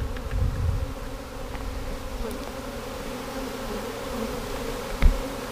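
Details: Honey bee swarm being caught in 2017, the third swarm taken that day, with bees knocked from a limb toward a box; a steady low droning hum holds throughout, broken by a sharp knock near the end.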